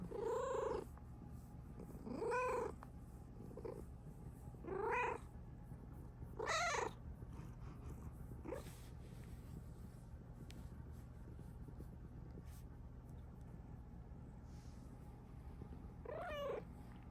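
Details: Happy, drooling female Bengal cat with her owner: a run of short arched meows and chirps every one to two seconds, then a pause of several seconds with soft sounds before a final meow, indoors over steady low hum.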